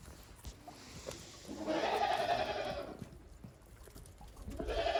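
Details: Goats on a farm in Japan after heavy snowfall, walking timidly on the snow on 28 December 2023; one long wavering bleat of about a second, a shorter one begins at the end, light background noise.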